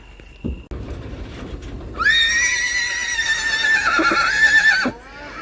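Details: Newly bought horse giving a loud, drawn-out whinny lasting about three seconds, a shrill quavering tone that wavers and slowly falls before breaking off, preceded by a faint thump and quiet background.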